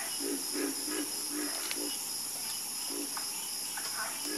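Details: Chorus of frogs croaking: short low knocking croaks repeated about every half second in a steady run, with a constant high shrill insect hum throughout.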